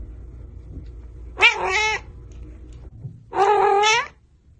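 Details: Cat in a humorous pet compilation meowing twice, each call short and wavering with a slight rise and fall, spaced about two seconds apart over a faint low hum.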